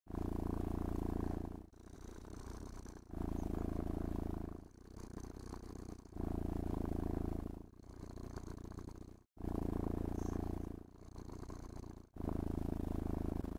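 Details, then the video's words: Happy domestic cat purring while brushed and petted in a room; rhythmic low rumble pulsing with each breath every one to two seconds, strong phases alternating with softer ones and short silent gaps. "Муркітлива Розкіш: Котик Насолоджується Грумінгом та Пестощами"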